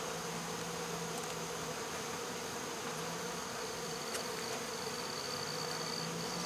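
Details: Honey bees from a swarm removed from baseball fields in August 2014, minutes after being boxed. A quieter, even buzzing drone continues with a faint high whine and a few tiny clicks.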